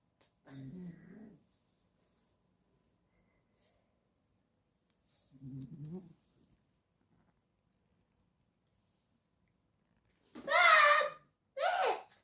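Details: Ragdoll cat asleep indoors, snoring softly: two low, rough breaths about five seconds apart, then a loud human voice calling out near the end.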